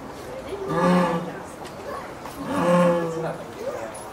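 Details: A female jaguar at Tennoji Zoo in the evening of 24 October 2017 gives two long, deep, hoarse, plaintive moaning calls toward a male jaguar in the neighbouring enclosure.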